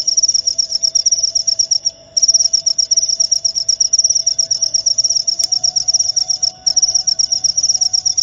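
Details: Cricket giving a high, fast pulsed chirp, briefly stopping twice, near two seconds and again near six and a half seconds, then resuming, over a faint low hum.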